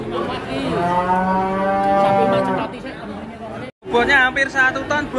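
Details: Giant cattle weighing nearly a ton brought to a market in Indonesia for sale, giving a long loud harmonic moo of about two and a half seconds, followed by a break and then men chatting nearby.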